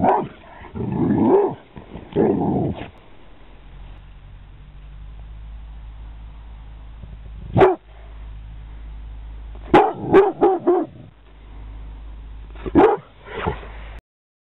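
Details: Pit Bull Lennox, recorded in 2009: longer, rougher vocal sounds at the start, then a steady low hum beneath scattered sharp barks, including a rapid burst of three or four barks.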